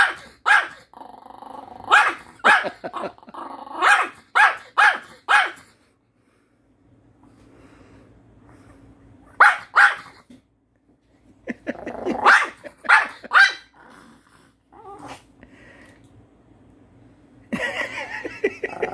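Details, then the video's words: Pet dog Happy barking at its owner indoors, upset at not being given Korean melon: clusters of sharp barks and growly yaps broken by a quiet stretch, then further barking bursts, mixed with some human voice sounds. "참외 안준다고 주인을 혼내는 강아지"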